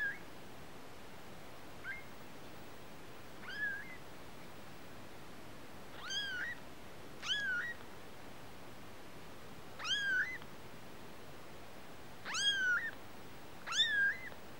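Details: Kittens calling repeatedly: eight thin, high-pitched mews, each sweeping up and then bending down, spaced one to two seconds apart and growing louder toward the end, over faint room hiss.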